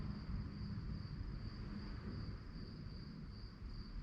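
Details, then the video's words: Crickets chirping at night, a steady pulsed high-pitched trill that repeats rapidly and evenly over a heavy low rumble of wind or distant traffic. "relaxing sounds of crickets"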